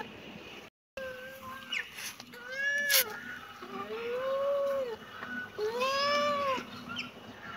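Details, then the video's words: Kitten mewing three or four times, thin plaintive calls that rise and fall, the later ones longer and clearer, with a brief clatter near the start. "Kitten meowing"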